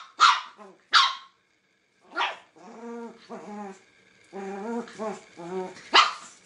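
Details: Angry dog alternating loud, sharp barks with drawn-out, tonal whining growls that rise and fall in short pulses, three quick barks at the start and one more at the end.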